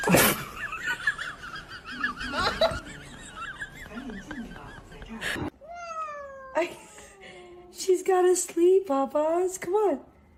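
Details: Domestic cat heard in a funny cat compilation: after a first half of talking and scattered noises, a run of clear, drawn-out meows follows, each one rising then falling, some short and some longer, coming in quick succession.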